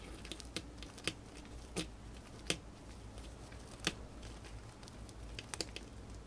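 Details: Female pet hamster gnawing on dried corn in a quiet room: crisp, dry cracking crunches at irregular intervals, a few louder bites standing out above faint background hiss and low hum.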